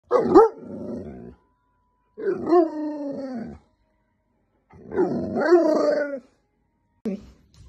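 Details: German Shepherd named Kona, a pet dog, giving three long, wavering, harmonic howling vocalisations of about a second each with rising and falling tones and a growly edge, separated by pauses, then a short fourth sound at the end.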